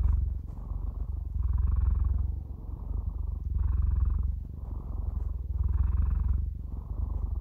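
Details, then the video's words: Cats purring for ASMR relaxation: a rich, buzzing low rumble rising and dipping in regular breath-driven waves close to once per second, continuous and uninterrupted, with no other noise. "Cats Purring"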